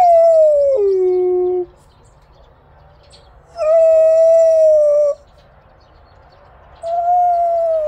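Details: A Korean Jindo dog, a yellow (hwanggu) dog, gives long, tonal howls, the first dropping abruptly in pitch partway through, apparently after a scrap collector came by.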